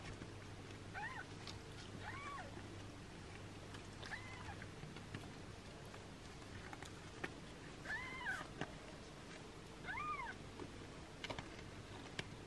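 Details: Six-day-old kittens mewing while their mother cat washes them indoors: five thin, arched mews rising then falling, spaced one to four seconds apart, over a low steady hum and soft rustling.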